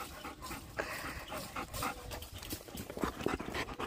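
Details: Bernese Mountain Dog panting rapidly, about four quick breathy huffs per second, uneven and airy, with faint human speech in the background.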